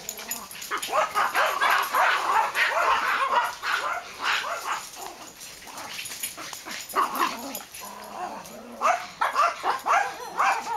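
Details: Max, a black dog, romping in a backyard with Ewok on 8-22-10; dense runs of excited yaps, growls and snarly play barks, several per second, with a few brief pauses and a constant high hiss.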